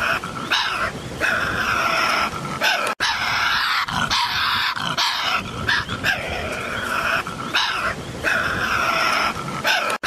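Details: Harsh, continuous snarling from a Tasmanian devil, a carnivorous marsupial of Tasmania: raspy, noisy vocal bursts with a grating tonal edge, interrupted only by two abrupt momentary cuts.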